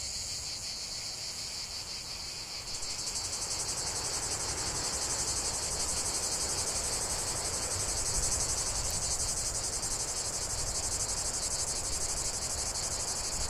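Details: Chorus of cicadas in nature, a loud sustained shrill buzz that grows fuller and louder after the first few seconds, with a fast pulsing texture running through the high drone.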